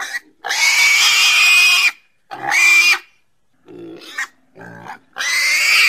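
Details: Pig making a long, shrill squeal, then a shorter one. Low, rough grunts follow before another piercing squeal at the end.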